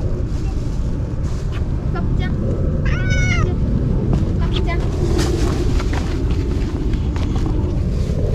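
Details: On a hot day, neutered stray cats with tipped ears eat cat food and Churu treats. One short, bending meow rises out of constant low rumble, followed by human voices and scattered knocks.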